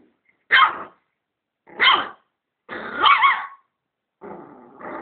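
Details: Dog barking at a vacuum cleaner: three loud, harsh barks about a second apart, the third drawn out and growly, then a softer rumbling growl.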